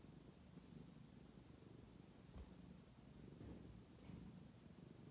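A tabby cat gives a continuous deep purr, a low vibrating rumble that swells and fades with its breathing. The purring signals contentment as it is scratched on the head.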